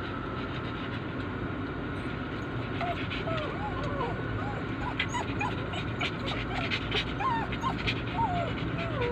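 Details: Poodles crying while their owner is away: thin, high whines bending up and down, repeated irregularly about once a second over a steady low engine-like hum.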